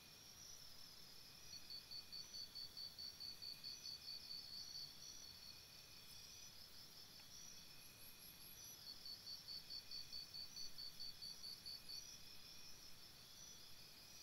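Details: Night chorus of crickets near a campsite, with rapid high chirps repeated roughly twice a second in two long runs, layered over constant shrill insect trilling and soft low rumble.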